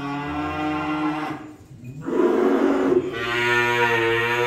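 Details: Cattle during unloading giving continuous, overlapping lowing, a strained, nasal drone broken by a brief pause, then resuming louder with a rougher, more forceful tone.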